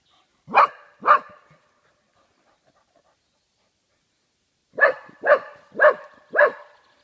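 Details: Frightened by cardboard cutouts in Yorkshire's Dalby Forest, Oscar the golden Cocker Spaniel gives two quick barks, falls silent for several seconds, then fires off four evenly spaced barks.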